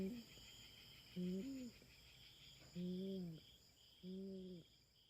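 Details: Feral cat intruding on farm cats' ground in the Philippines during a standoff with a black cat. Soft whining cries repeat roughly every second or so, low and nasal, against a constant buzz of insects.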